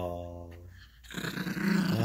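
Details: Gracie, a Yorkshire Terrier puppy, growls while play-fighting with a squeaky toy on a bed indoors: a low rumbling growl rising into louder, rougher snarling.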